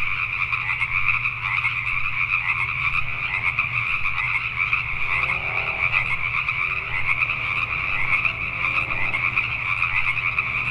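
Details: Richmond, British Columbia, Canada, at night, where a crowd of Pacific tree frogs keeps up a dense chorus of overlapping creaky croaks, a steady low hum below and some fainter lower sounds midway.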